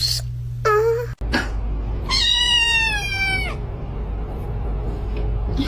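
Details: Domestic cat giving two clear meows, a short rising-falling one then a longer drawn-out wail with rich harmonics, over steady background music and a person's brief speech.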